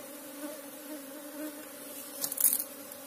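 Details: Asian honey bees (Apis cerana) from a nest in a hole in the ground, disturbed while the colony is dug out: a steady low droning hum with a higher overtone, and a brief burst of scraping clicks near the end.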